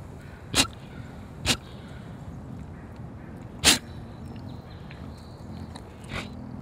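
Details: Collared peccaries, curious creatures with constantly sniffing noses, give four short, sharp, breathy snort-like bursts at irregular intervals, the third the loudest, over a soft low background rumble.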